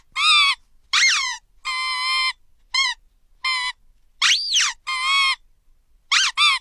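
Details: An angry Shih Tzu, reacting to squeaky sounds, gives high, ringing yaps and barks, some sliding up then down in pitch.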